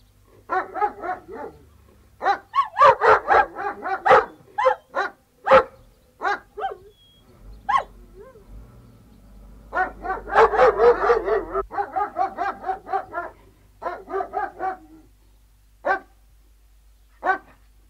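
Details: Three Alsatian guard dogs barking outdoors, dense overlapping bursts of deep harsh barks in two long volleys around two per second, broken by a quieter gap with low rumbling, then scattered single barks.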